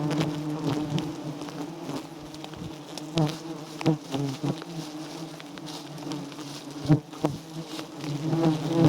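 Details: Giant honey bees from a wild nest, a small white comb heavy with honey. Their dense, low buzz drones without pause, with scattered clicks and thumps from nearby handling.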